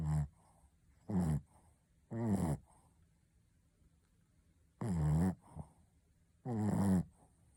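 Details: Snoring Shih Tzu Ponta in a small room: five rough, buzzy snores in uneven rhythm, some closely paired, each with a deep droning tone and faint wheezy exhales between.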